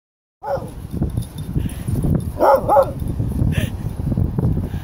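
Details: A happy dog on a sunny, sandy beach, recorded 23 January 2016, gives a few short, sharp barks, with steady wind and surf noise throughout and a person's voice calling to it at the end.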